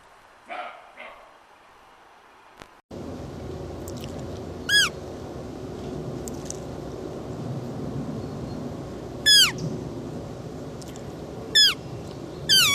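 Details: Roe deer giving short, high, downward-sliding squeals with bright harmonics, four of them spaced irregularly after a quieter opening stretch with faint softer calls, over a steady rushing background hiss.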